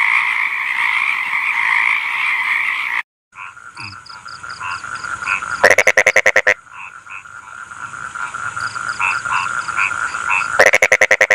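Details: Frogs croaking "kokak-kokak": a dense chorus, a brief silence, then scattered short chirpy notes over a steady hum. Two loud, fast rattling croak trains of rapid pulses break in, each lasting under a second.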